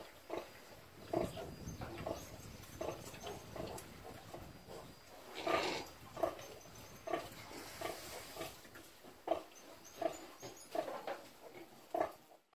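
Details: Free-range (caipira) domestic pigs on a rural subsistence farm grunt in short, repeated bursts, with some louder squealing snorts.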